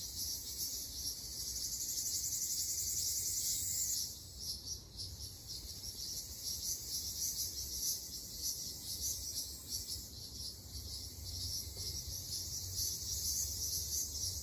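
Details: Ryukyu large brown cicadas (Graptopsaltria bimaculata) in an Okinawa forest in summer fill the air with a steady, sizzling high-pitched buzz.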